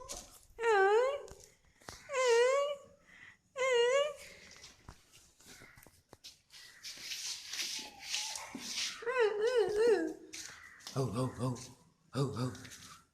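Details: Sundari, a pet dog, yawning and making an unusual sound put down to the cold: three wavering, whiny moans of about a second each, bending up and down in pitch, then further warbled moans and short pulsed whines, with laughter and voices between.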